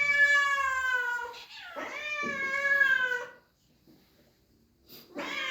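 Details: Cats at an animal shelter, excited to see their feeder after a long absence, giving long, loud, wavering meows that rise then fall, with a brief quiet gap before another starts.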